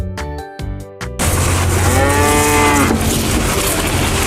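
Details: Cow mooing: after a second of short musical notes, one loud, long, drawn-out moo that slides gradually downward in pitch and fades, followed by a noisy outdoor background.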